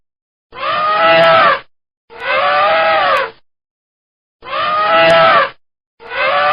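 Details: Elephant trumpets in four separate blasts, each roughly a second long, harsh and brassy with bright stacked harmonics arching up then down in pitch, spaced by clean silent gaps.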